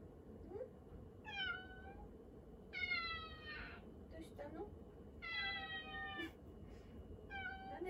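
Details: Pet cat seeking attention as its owner cooks in the kitchen, meowing insistently; four long, bright meows that slide downward, spaced a couple of seconds apart, against a constant household hum.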